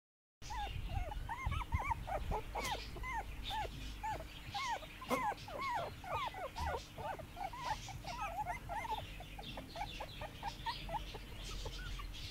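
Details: Several puppies on their first day in the garden, 2017, making dense overlapping high whimpers and yelps, short arched cries tumbling over one another almost continuously with a low hum beneath.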